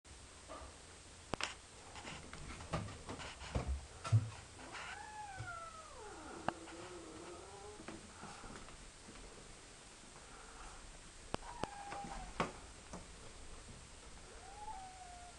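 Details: Domestic cats, young Duffy and old Bert, an adopted former stray, interacting indoors: a drawn-out wavering meow that rises and falls, followed later by shorter mews, with scattered clicks and knocks in a small room.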